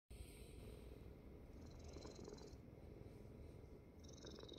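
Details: Rescued Korean Shorthair kitten, found at a construction site, purring while lying on dad's belly; a steady low rumbling purr runs the whole time, with faint airy hissing brightening around the middle and near the end.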